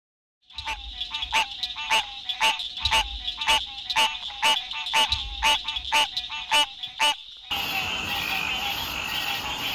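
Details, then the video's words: Frogs or toads calling at night: sharp, clicky croaks repeated about twice per second with a ringing overtone, then an abrupt switch to a dense, steady chorus of high trilling calls. "Frogs & Toads wide variety of sounds"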